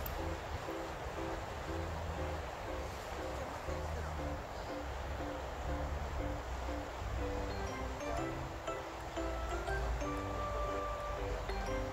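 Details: Steady background music plays throughout, with faint speech and a soft wash of noise.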